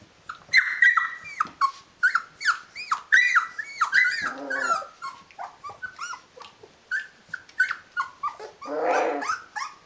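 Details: Rhodesian Ridgeback puppies of the D-litter, 19 days old, filmed indoors: a busy run of high whining squeals and short yelps from several pups, overlapping one another, with a louder grumbling squeal near the end.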